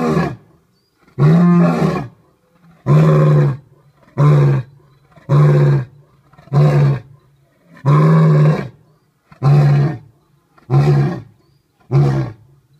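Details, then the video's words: Male lion Jasiri at Dartmoor Zoo finding his voice for the first time after his December 2014 arrival: a steady series of nine deep, forceful roar bursts, roughly one every second and a half, growing shorter and grunting. "Jasiri finds his voice"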